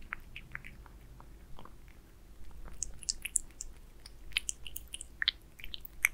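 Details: Aliska the cat eating beef wet food indoors: wet, smacking chews and sharp clicky bites, sparse at first and then quickening into dense irregular bursts of crunchy clicks, with no talking.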